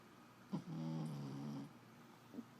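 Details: Sleeping Jack Russell Terrier snoring: one low, buzzy, droning snore lasting about a second, rich in rough overtones, between soft breathy sounds in a quiet room.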